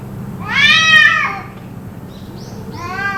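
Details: Cats yowling in a possible fight that carried on about two hours; one loud arched wail near the start, then quieter soft squeaks and the onset of another rising cry.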